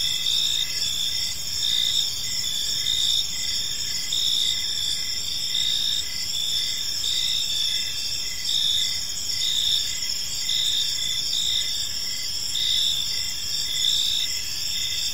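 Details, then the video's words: Gentle evening cricket chorus in a park: overlapping high, ringing trills and regularly spaced pulsed chirps, continuous throughout with mild swells in volume and a soft low rumble beneath. "Cricket Sounds in a Peaceful Park"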